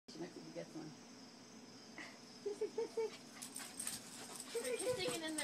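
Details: Playful puppies, one named Chance and another Max, give short high whimpering yips around two and a half and four and a half seconds, amid rustling, scratching and a person talking quietly.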